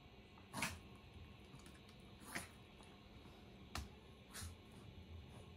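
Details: Chihuahua named Kohaku, angry as someone heads back to the room, trying to keep the beloved daughter from leaving; four short, sharp yapping barks spaced one to two seconds apart over a steady indoor hum.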